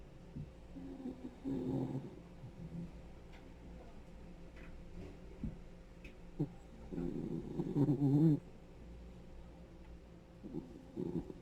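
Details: Ten-year-old male Dachshund, a rescued senior dog, snoring: two long rattling, buzzy snores, the second louder and rising in strength, with softer low breaths in the quiet stretch between them.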